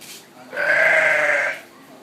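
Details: Sheep at Honolulu Zoo, visibly upset about a llama being out for a walk, gives a single harsh, rasping belch-like bleat lasting about one second, loud and steady, over quiet background.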